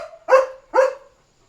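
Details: German Shepherd named Leo on nighttime barking duty, signalling a dog outside the house: two loud, rough barks about half a second apart, then quiet.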